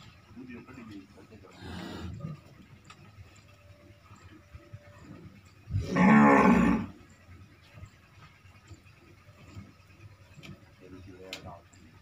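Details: Red Sindhi cow of pure breed, second lactation, lowing during milking: a faint moo early on, then one loud, coarse bellow, with quiet farm noises and voices around it.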